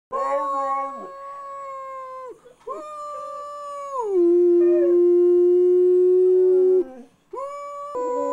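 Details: Pit bull howling indoors: long sustained harmonic tones with stepped pitch changes, holding level then sliding down into a long low steady note, with brief breaks between howls.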